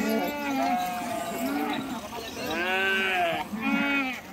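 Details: Sheep crossing a river, some swimming and jumping into the water, give several wavering, nasal bleats with shaky harmonics, the clearest two close together near the end, over steady background noise and human voices.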